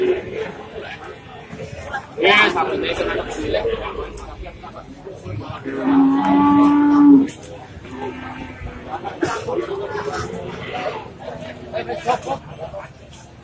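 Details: Pegon cattle at an Indonesian cattle market in July 2018: a drawn-out, steady low moo lasting over a second, amid people talking and market clatter.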